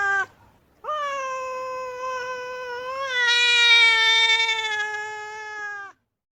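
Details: Angry female cat stamping its feet lets out a single long howl of about five seconds, steady at first, then growing louder and harsher with a trembling quality before it fades and cuts off.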